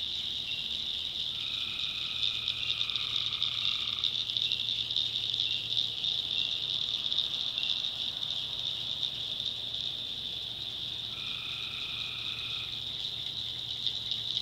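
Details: Tree frogs calling at night in a swampy North Carolina backwoods setting: two long nasal droning calls, one near the start and one near the end, set against an unbroken high-pitched chorus and a faint low hum.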